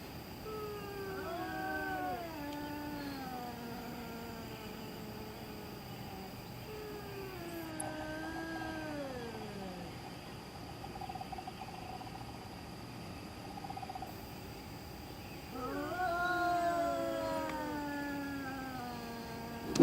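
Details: Eerie night-time cat yowling, with slow, quavering moans that slide downward, separated by quieter gaps. A final rising, louder wail comes over a steady background hiss.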